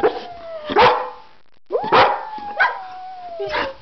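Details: Pet dog howling along with its owner, long steady wavering howl notes held for over a second, mixed with sharp bark-like bursts and a human voice joining in.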